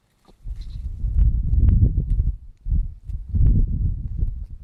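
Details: Estonian native sheep feeding on aspen bark and spruce shoots in spring, Estonia: two low, rough, bleat-like bursts, each lasting about a second, with a short pause between them and quiet rustling around them.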